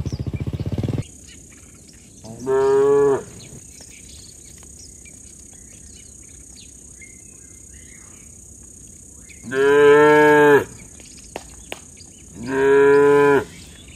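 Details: Tame cattle in a herd walking home along a rural road with their herder. Three long, low, harmonic moos come at widely spaced moments, with quiet stretches between them, faint bird chirps and a steady high hiss.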